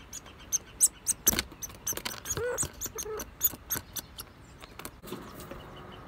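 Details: Squirrels fighting over food and territory south of Gros Morne National Park, Newfoundland, on May 11, 2020. Sharp, high clicking chirps come in irregular rapid bursts, with a few lower squeaky notes in the middle.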